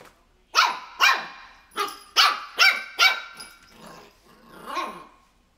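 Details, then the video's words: Three-month-old Shih Tzu puppy barking at crocs in a rapid run of about six high yaps, fading into softer grumbling yips. "Shih tzu puppy barking"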